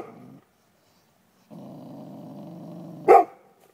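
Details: Dogs behind a stockade fence taunting a neighbouring dog by digging under it; a brief growl, a pause, then a sustained low rumbling growl of about one and a half seconds ending in one sharp bark.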